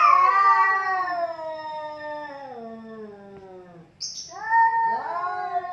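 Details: Dueling cats: a long moaning yowl slowly sinks in pitch and fades, a short hiss-like burst follows, then a rising wavering wail starts again.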